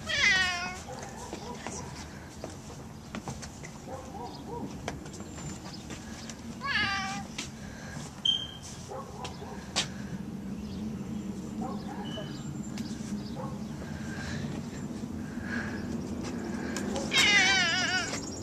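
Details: Gato the pet cat, exploring the yard and house, repeats several short, quavering meows spaced seconds apart, the last one louder and longer, with a person talking quietly in between and steady low background hum.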